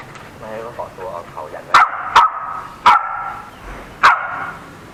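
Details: A house fight between a playful 4–5-month-old Samoyed puppy and a Corgi, four other dogs joining in. Voices talk first, then four loud, sharp barks ring out about a second apart.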